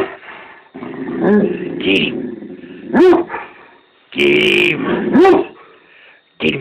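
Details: Great Dane named Scooby, very mad at a werewolf mask, growling low and steadily with short rough gaps, broken by two sharp, loud barks about two seconds apart and a final bark starting at the very end.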